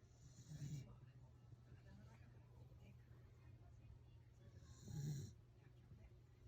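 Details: Welsh Corgi snoring while asleep: two short, rough snorting breaths about four seconds apart, with soft breathing and a steady low hum between them.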